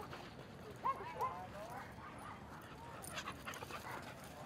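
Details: Dog at Seal Point Dog Park on a sunny Thursday, where Rosy and Rocky visit and Rocky plays with an old playmate. Two short, high yelps come close together near the start, then softer whines over a busy, murmuring park background.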